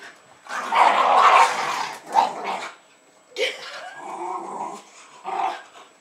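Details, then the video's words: Greeting frenzy from two Jack Russell Terriers, Jasper and Jaclyn, about two and a half years old, as a woman comes home in Lenexa, Kansas, on 15 February 2010; a long growling bark, then separate yips and whines. "Jasper and Jaclyn the JRT's barking, running and jumping to welcome my wife home"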